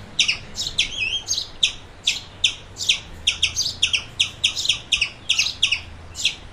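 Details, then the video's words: Squirrel calling in clear, separate high chips, some doubled or slightly rising, spaced about every third of a second, against a quiet low hum. "Squirrel videos for dogs(squirrel sounds)"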